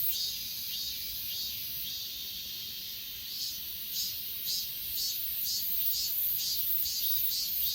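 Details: High, shrill insect chorus from the grass on Achasan, S20 Ultra recording: steady ringing drone with clear evenly spaced chirp pulses, roughly two each second, growing stronger toward the end.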